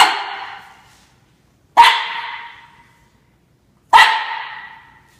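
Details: Young Norfolk Terrier Ernie, under one year old, taking on Shania the cat; three loud, ringing barks about two seconds apart, each trailing off with a brief echo, no other sounds.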